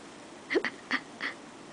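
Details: A sleepy female guinea pig with light colouring lies down and gives four short, bright squeaks in quick, uneven succession.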